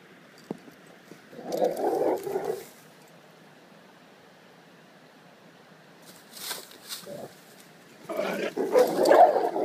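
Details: Male Rottweiler displaying dominance toward a bull terrier: two bursts of rough, low growling, one near the second mark and a longer one at the end, separated by quiet stretches with a few faint clicks.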